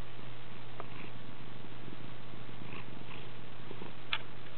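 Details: Gracie, a pet cat, purrs happily indoors while kneading the air, making biscuits; a steady low rumbling purr runs evenly throughout, with a brief faint click near the end.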